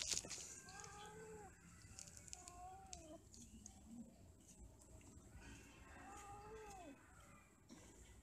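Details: Cats mating and quarrelling, heard as scattered arched meowing yowls at moderate distance, a low groaning note midway, over hissy background noise and occasional clicks.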